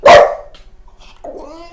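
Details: Dog making a weird sound to its owner: a single loud harsh bark-like burst, a pause, then a thin rising whine, with a woman speaking Portuguese around it.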